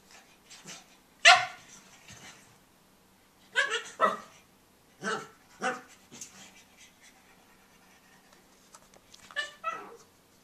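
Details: Tobey, a young pug, plays with his bone and lets out a string of short, high yips and barks: one loud burst early, a cluster in the middle, then a last yap near the end.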